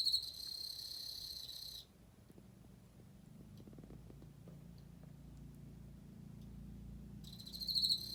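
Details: Emma field cricket chirping: a bright, high trilled song in a sustained burst of almost two seconds, then a long quiet gap with faint low rumbling, and a new burst starting near the end.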